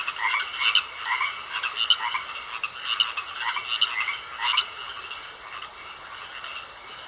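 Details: Pond frogs in a chorus of croaks: rough pulsed calls come about once a second for the first five seconds, then thin out and soften. A constant thin high tone hums underneath.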